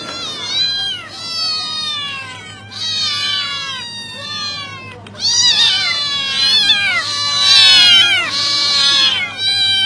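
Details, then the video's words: Cats seeing their owners: loud, insistent meows and yowls, many in a row with downward-bending pitch, overlapping at times as though from more than one cat, with a steady low hum beneath. "Cats seeing their owners"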